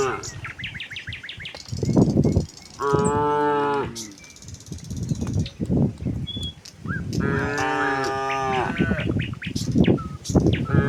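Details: Tame cattle running down a hill toward their pen in the countryside give two drawn-out, harmonic-rich moos, each about a second long, between thumping hoofbeats and rustling, with brief bird chirps high above.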